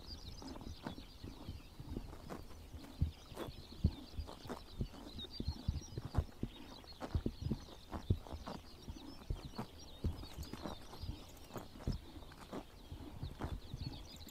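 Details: Morning grazing by horses on a summer pasture in Mongolia, with sharp snapping bites of grass landing unevenly about twice a second, thudding low crunches beneath and faint bird chirps high in the background.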